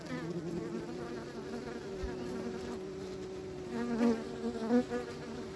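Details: Close, loud buzzing of kept bees, a rich droning hum with wavering pitch and two strong surges near the end as bees fly past.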